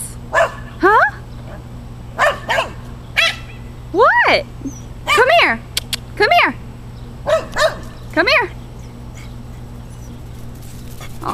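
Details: Pit bull and Boston terrier mix dog barking at somebody over the fence: a run of short, sharp barks with rising-falling pitch, in irregular bursts about once a second, with a person talking between them and a steady low hum.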